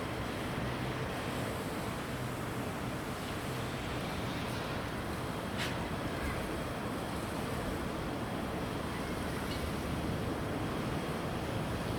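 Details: Only a constant rushing roar of wind and water-like noise is heard throughout. No call, roar or other animal sound stands out.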